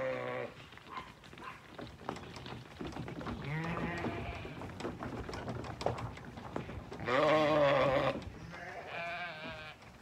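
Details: Lambs on a regenerative farm in County Kilkenny, Ireland, bleating while looking for their breakfast at a trailer; several wavering bleats overlap, one loud quavering bleat near the end, with shuffling and farm noise behind.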